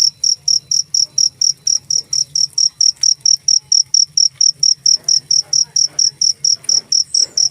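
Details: Cricket giving loud, bright high-pitched chirps in quick regular succession, around two to three a second, with low humming noise beneath.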